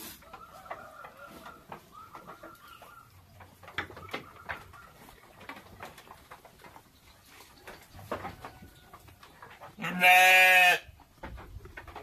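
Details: Texel and Merino sheep kept as farm livestock; a single loud, harmonic-rich bleat near the end, with faint thin tonal calls and scattered clicks and knocks in the quieter stretch before it.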